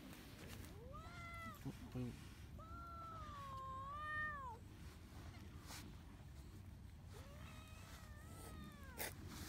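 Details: Several cats met at Lake Biwa, Japan, crowding around a person and climbing onto them; three drawn-out, tonal meows, the middle one longest and wavering, with a short click between, over steady low outdoor rumble.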